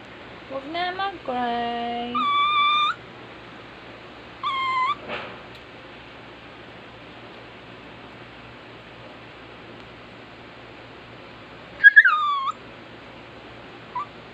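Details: A crying dog gives a rising whine, then a run of stepped, wavering whimpers. A shorter whine follows around the fifth second, and a sharp, falling cry comes near the twelfth, with long quiet gaps between the bursts.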